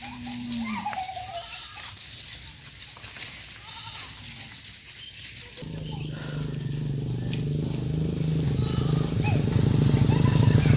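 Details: Tame cattle herded back to their farm pen, giving a short rising call early on, then a sustained low moo swelling steadily louder through the second half.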